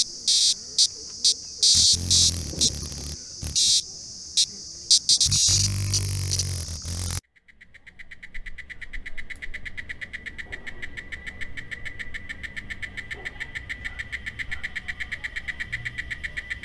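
Cicadas sing a steady, high, rapidly pulsing trill after a burst of loud, clattering noise.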